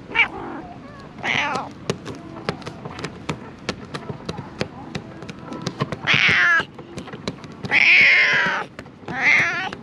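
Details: Stray cat struggling to survive amid dumped rubbish meows repeatedly, loud wavering cries at irregular intervals among many sharp clicks and knocking sounds.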